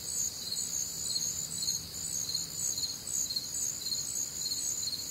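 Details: Night chorus of crickets recorded on a warm, humid summer night in the Midwest, high shrill chirps pulsing in overlapping layers without pause, a soft low hum underneath.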